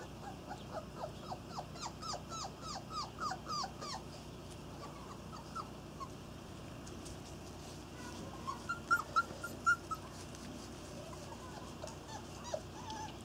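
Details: Irish Terrier puppies from one litter on their first outing, with rapid high yips and whimpering squeaks in quick series, a few louder squeals later, and a brief spoken word at the end.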